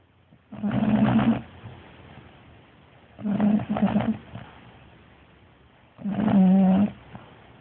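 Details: Bulldog asleep and snoring loudly, three heavy rattling snores spaced roughly every three seconds, each a deep buzzy drone with strong harmonics, quiet pauses in between.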